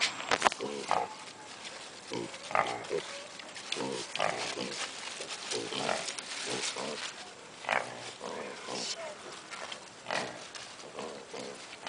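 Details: Zoo piglets give scattered short grunts and brief squeals at uneven intervals, mixed with visitors' voices in the background.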